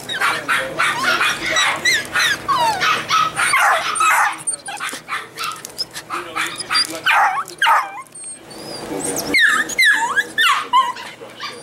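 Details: Golden retriever puppies from a breeder in Kent, Washington, crying together: a dense, overlapping chorus of high whines, squeaks and short yelps, pitches sliding up and down, with no pause throughout.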